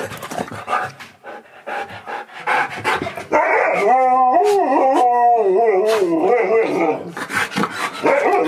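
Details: Pet Siberian Husky indoors near the kitchen, excited by a best friend visiting and by hearing his favourite words. A long wavering, whining howl-like 'talking' with pitch rising and falling over several seconds follows scuffling, panting and human voices.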